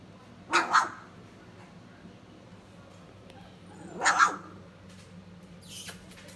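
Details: Three-week-old Standard Poodle puppies giving two loud, short yelping squeals about three and a half seconds apart, with soft background hum between them.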